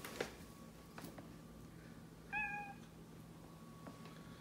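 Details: Domestic cat indoors: a single short meow midway, a clear level tone lasting under half a second, among light tapping noises and a steady low hum.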